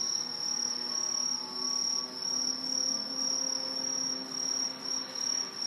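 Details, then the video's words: Many green tree crickets, an introduced species in Japan that lives high in trees and is a typical autumn insect, sing together in a dense, shrill, unbroken high trill filling the night. "アオマツムシの大合唱"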